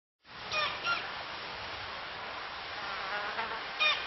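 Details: A klipspringer, a small rock-dwelling antelope, in Kruger gives a few short, shrill, nasal calls over a steady buzz of insects.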